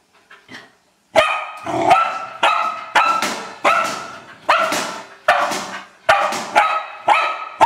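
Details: Old English Sheepdog playing with a trash can, barking loudly and repeatedly: about eleven sharp, harmonic barks, some in quick pairs, following a second of faint quiet noise at the start.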